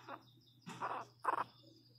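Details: Miniature Pinscher puppy, a 21-day-old female named Lara, learning to walk; three short, harsh, cry-like yelps spaced about half a second apart over a steady low indoor hum.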